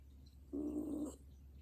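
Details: An old dog snoring while asleep: a single buzzy, steady-pitched snore lasting about half a second over a low background hum.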